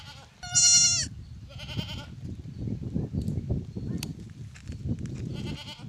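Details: Newborn lamb giving a loud, high, quavering bleat, then a shorter second bleat and a third near the end, over steady low rumbling background noise and a brief click.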